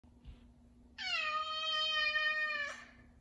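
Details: A 5-year-old male F2 Savannah cat in the morning, loudly demanding his chicken early, gives one long, loud, steady meow that drops slightly at the end.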